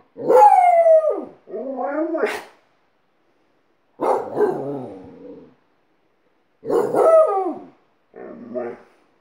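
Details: Alaskan Malamute teaching a second dog to howl; a series of short harmonic howls and yowls in pairs, rising and then falling in pitch, with brief silences between the pairs.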